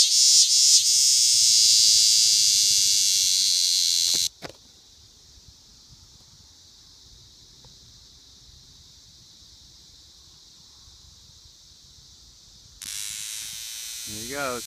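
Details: Big green cicada in Lancaster County, Pennsylvania, on August 18, 2016: a loud, dense, high buzz close by for about four seconds cuts off sharply, leaving a faint steady insect hum, then the loud buzz returns near the end.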